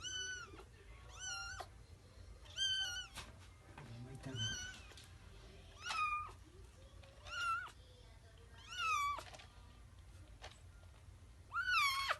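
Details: Kitten meowing while using the litter box indoors: loud, high, wavering meows with rising and falling pitch, roughly seven calls spaced one to two seconds apart, with soft human voices talking between them.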